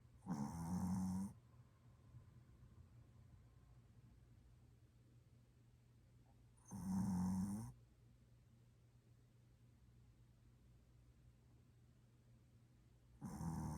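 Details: Choco, a sleeping Maltese dog described as a heavy snorer who only falls asleep on an arm pillow, indoors; loud rasping snores come roughly every six seconds, with a steady low hum and quiet room between them.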